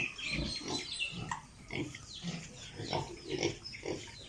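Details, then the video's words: Piglets on a pig farm in Italy give quick rhythmic grunts, about two each second, overlapping low snorts with a few higher squeaky notes, against constant barn hum. "Sound of piglets in pig farm"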